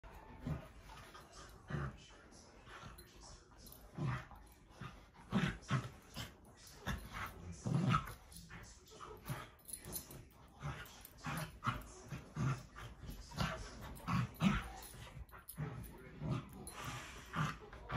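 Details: Puppies, Great Pyrenees and Corgi, gentle mock wrestling with their teeth during play: low grumbling growls and snuffling bursts recur every second or so, with occasional higher yips and rustling of bodies tussling.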